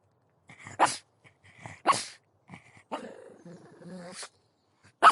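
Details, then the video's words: Pug dog with two short, breathy barks, then a drawn-out, strained, grumbling whine lasting over a second, and a final sharp bark. "Pug Dog Barking"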